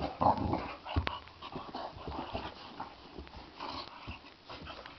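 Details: Two Boxer dogs play fighting and clashing their teeth. A brief low, rough growl opens, followed by softer scuffling, snorts and faint grumbles.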